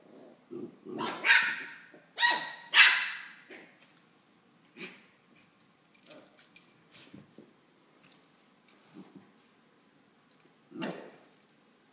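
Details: A female West Highland White Terrier puppy, hopping around while playing, gives sharp, very high-pitched, yappy barks in quick bursts.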